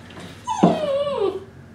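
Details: Golden Retriever puppy in a litter in Illinois, heard during play and belly rubs: a single whining whimper that starts high, jumps, then slides slowly downward over about a second, with a person speaking nearby.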